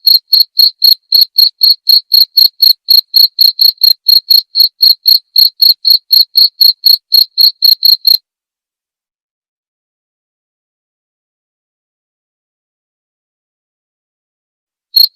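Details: Clear cricket chirping meant for tutoring white-rumped shamas: rapid shrill pulses roughly four per second for eight seconds, then a long silence broken by a single chirp at the very end.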